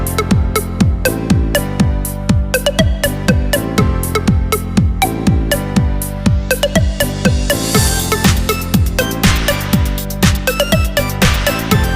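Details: Electronic dance music with a strong, regular beat plays throughout, with no animal sounds.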